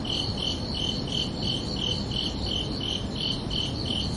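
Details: Crickets chirping under a night sky on a summer evening: steady, bright pulsed chirps repeated about three times per second, evenly spaced throughout, over a constant low rumbling background hiss.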